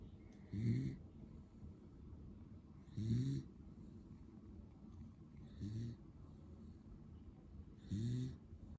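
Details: A sleeping male Beagle named Pero, lemon and white, born 2015, snores four times in a regular rhythm, each a coarse low rasp with a breathy edge, separated by quiet pauses of about two and a half seconds.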